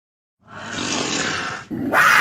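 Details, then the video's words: Puma giving a harsh, breathy hiss-like snarl that starts abruptly and holds steady for over a second, then breaks briefly before a second, brighter burst of rasping noise. "PUMA SOUND EFFECTS - Puma Sounds"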